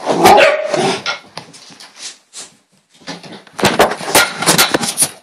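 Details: Bailey, a female dog in a hyper moment indoors in a small room, gives bursts of sharp barks early and late, with a quiet gap in the middle and scuffling movement throughout.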